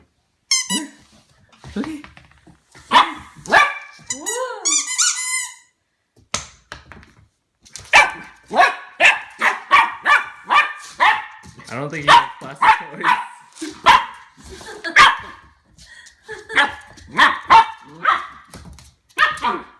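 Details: Harvey, a 10-week-old Goldendoodle puppy, barks while swiping his paw at a new plastic ball before playing fetch. There are many short yappy barks, a few squeaky whines, a person reassuring him and laughter.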